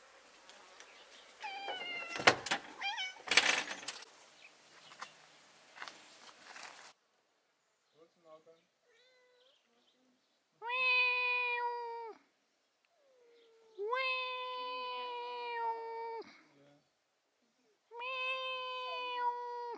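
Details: Domestic cat meowing: after several seconds of muffled knocks and rustling, three long, loud, clear meows follow at about three-second intervals, each steady in pitch and then dropping away at the end.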